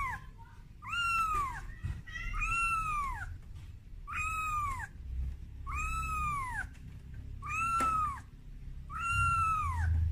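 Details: Kitten named Momo crying for its mother Amora, frightened on its first time carried out of its room; high arched meows with rich harmonics, about six calls spaced roughly every one and a half seconds over low indoor rumble.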